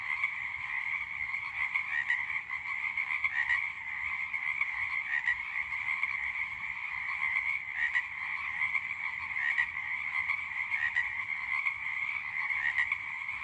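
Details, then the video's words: Night-time frog calling: a continuous, even, buzzy drone at a steady mid-high pitch, slightly pulsing in loudness throughout, with a faint low rumble underneath. "The sound of a funny fat frog sounded one night"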